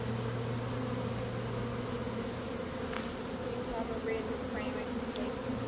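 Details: Swarm of honey bees in early May, caught by a beekeeper: a constant heavy droning buzz, with a few faint high chirps near the end.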